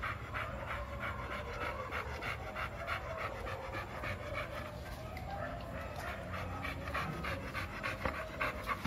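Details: Quick, steady, breathy panting runs through the whole stretch from Milo, a two-year-old male American Bully eager to play.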